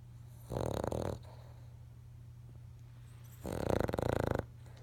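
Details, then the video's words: King Charles Spaniel dog asleep and dreaming, giving two rough, rattling snores about three seconds apart, each lasting about a second, over a steady low hum. "King Charles dreaming and snoring"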